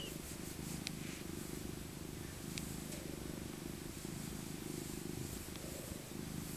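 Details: Cuddled old tabby cat Maca in her soft winter coat gives a steady rumbling purr, low and rhythmic throughout, with a few faint clicks and rustles of fur.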